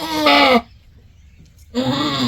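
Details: Doe goat bleating while giving birth to a kid. Two loud, rich bleats with a slight waver are separated by about a second of near silence.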